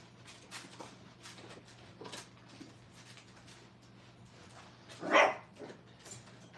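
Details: A crate-training kennel holds five-week-old Brittany puppies. One lets out a single sharp, loud yip near the end, with softer whimpers and rustles before it against a steady low indoor hum.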